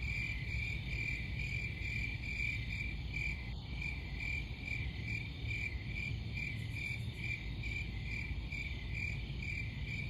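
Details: Crickets chirping in steady pulses, a bright repeated trill roughly every half second over a constant low rumble, with faint fainter chirps higher up.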